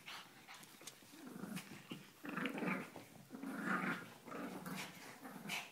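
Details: Puppies playing indoors, giving low rumbling growls in short uneven bursts roughly once a second, with scuffling and soft thumps between them.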